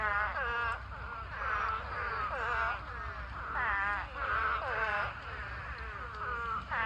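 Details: Spadefoot toads massed by the thousands in a pond during a mating swarm produce a continuous wail of quavering, nasal bleats that overlap and pulse in waves, with a low steady hiss underneath.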